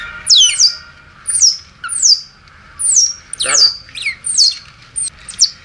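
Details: A smooth-coated otter newborn, hungry and asking for milk, squeals in a steady series: about nine piercing, downward-sweeping squeaks, roughly one each half second to second, one louder with a harsher, raspy tail.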